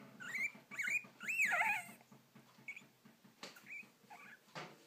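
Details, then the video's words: Guinea pig with hiccups: rapid, regular soft low ticks running through, overlaid by a few loud squeaky rising-and-falling squeals early on, then quieter chirps and clicks. "Even more guinea pig hiccups"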